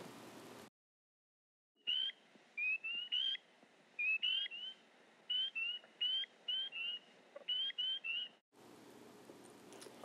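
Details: Spring peepers in Missouri, calling at night in spring, give about sixteen clear, high, upslurred peeps in quick clusters, with brief bursts of hiss at the start and end.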